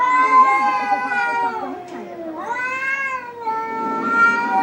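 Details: Domestic cat meowing: long drawn-out harmonic wails, one falling then dipping near two seconds and rising again, continuous and tonal throughout.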